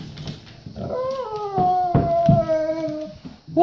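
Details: Talking Golden Retriever Bo asks to go potty indoors with a clear, smooth howl that starts high, eases gradually lower and holds, preceded by soft snuffly noises.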